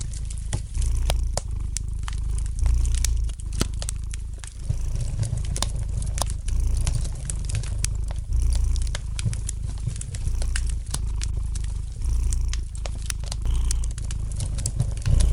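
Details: Low, rhythmic purring from a domestic cat near a fireplace, swelling in regular breath cycles, partly competing with dense crackling and crinkling noises from the burning wood.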